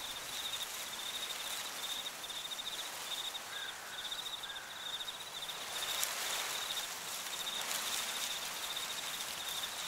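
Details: Crickets in a fall cornfield keep up bursts of high pulsed chirping. A faint, lower wavering tone enters briefly in the middle, and rising rustling noise partly covers the later chirps.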